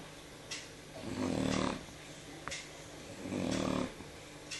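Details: Jyo, a Shar Pei, asleep on the evening of 13 November 2014, gives two long rasping snores about two seconds apart, each a buzzy half-second drawn breath, in a quiet room with light soft clicks between.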